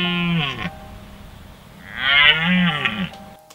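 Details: A red deer stag gives two deep, drawn-out roaring bellows during the October 2016 rut in Richmond Park, London.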